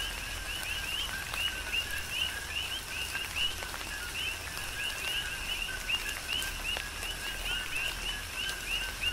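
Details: Coqui frogs chorus during a tropical rain shower on the Big Island of Hawaii: many overlapping short rising chirps repeat steadily over a constant hiss of falling rain with occasional louder drips.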